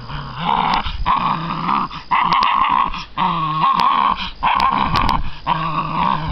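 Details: During a prey drive test, six-week-old American Bandog Mastiff puppies growl while holding a chicken on a string weighted by a water bottle; loud, steady growls in bursts about a second long with brief breaks.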